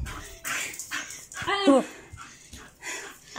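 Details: Bull terrier playing with a visitor, letting out a short wavering whine-like yelp in the middle, among breathy sounds and a man speaking Spanish.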